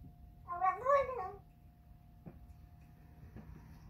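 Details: Persian cat making a baby-like noise while eating chicken and liver food: one short wavering, nasal meow of about a second with rich harmonics, rising then falling, followed by faint clicks and a steady low hum.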